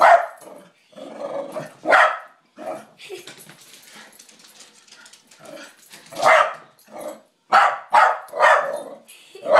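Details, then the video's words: A pet dog named Charlie keeps barking at his own reflection one night, as if at an intruder; an irregular run of many barks, some loud and sharp, others softer, mixed with growly grumbling. "Dog barking at his own reflection"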